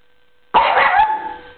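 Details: Eight-month-old male Norwich Terrier puppy barking while attacking and chasing pedicure paws before his manicure; a single harsh bark-like burst lasting about half a second, with a woman nearby urging him to get the paper.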